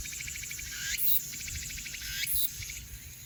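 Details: In Haenam, crickets and cicadas chirr in a dense high-pitched chorus, with louder pulsed buzzes rising every second or so.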